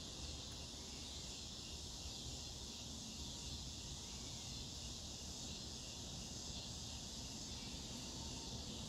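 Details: A scissor grinder or dog day cicada (Neotibicen pruinosus) gives a loud, shrill, steady electric buzzing drone that holds throughout, over a deep low rumble like distant traffic or wind.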